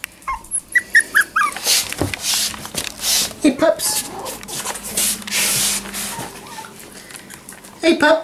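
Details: Jack Russell Terrier puppies, four weeks old and newly walking, give short squeaky whimpers at the start and again at the end, while a person greets them with "hey pups" amid rustling and handling noise in between.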